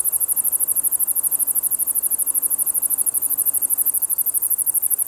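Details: Ruspolia interrupta, a conehead katydid, singing: a very high, continuous buzzing made of rapid, even pulses, about twelve per second, steady throughout without pause.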